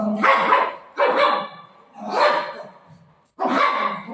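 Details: Golden Retriever family dog playing with its owner indoors, giving four loud, harsh barks spaced roughly a second apart, each a short broad burst that fades quickly.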